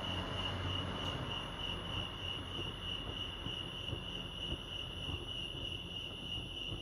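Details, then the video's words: Crickets chirping at Lake Arrowhead, California: a steady high pulsing band of chirps runs throughout over a low rumbling background, possibly distant traffic or a train. "Serenity sounds crickets chirping lake arrowhead"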